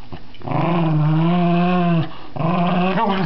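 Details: Playing with a new toy, a pet dog gives a long steady moaning growl lasting over a second, a short pause, then another tonal growl that wavers upward at the end; small-room sound.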